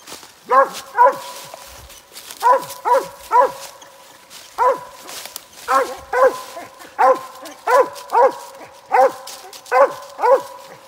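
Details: Squirrel-hunting dog barking to tell on a Mississippi gray squirrel: loud, clear barks, mostly in pairs, spaced about one to one and a half seconds apart, with little else in the background.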